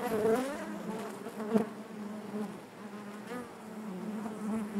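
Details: Steady hive drone of many honey bees inside the hive, a low humming buzz with layered harmonics, a close bee whining past at the start and a sharp loud swell near one and a half seconds.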